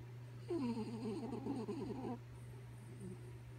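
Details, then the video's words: Sleepy dog Kaya Boo snores with one wobbly, nasal, whistling tone lasting under two seconds. It rises and dips rapidly, trailing into softer breathy murmurs, with a constant low hum underneath. "Sleepy Kaya Boo Snoring"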